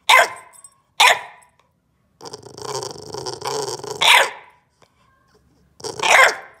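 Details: Bulldog puppy protesting after being told not to bite the couch corner: two sharp barks, then a long rumbling growl of about two seconds ending in another bark, a pause, and a final loud bark.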